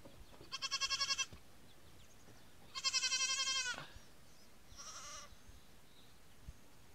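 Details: Newborn Nigerian Dwarf goat kids, day one: three high bleats, a tremulous pulsing cry, then a longer drawn-out bleat, then a softer short one, over a quiet background.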